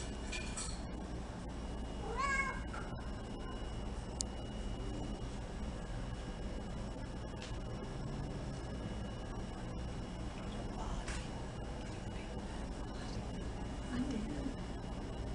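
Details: Oreo, a female Domestic Shorthair shelter cat up for adoption, shares a roaming room with many other cats. Two short, wavering meows come near the start, then a long stretch of steady low room hum with a few faint clicks.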